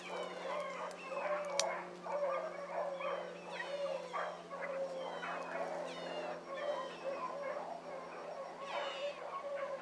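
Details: Pack of hound pups chasing a rabbit one morning, a dense chorus of excited yipping bays from several dogs at once, calls tumbling over each other without pause, steady engine-like hum underneath.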